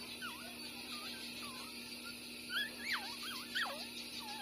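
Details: Two six-day-old street-dog puppies named Bob and Massy, born the same day, nursing; high thin whimpering squeals, wavering up and down, several in quick succession, over a steady electrical hum.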